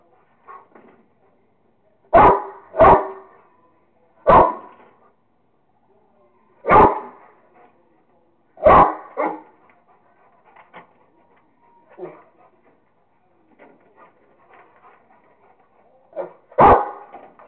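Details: A Rottweiler called Kingston at play with a squirrel barks in irregular bursts, a quick double bark, then single loud barks every few seconds, with quieter scuffling sounds between.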